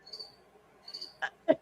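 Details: Cricket chirping indoors beside a microphone during a live stream: two short, thin, high trills roughly 0.8 seconds apart, followed by a couple of sharp clicks.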